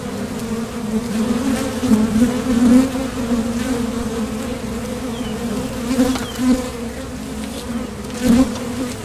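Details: Steady hum of honeybees coming and going at a Top Bar Hive entrance while foraging for nectar, made by vibrating thoracic muscles; continuous low drone with loud surges near two and eight seconds as bees fly close.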